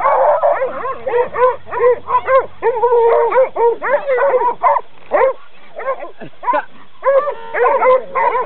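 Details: Coonhounds being trained bark and bay almost without pause, the harmonic calls overlapping densely as if more than one dog joins in, with a low hum underneath.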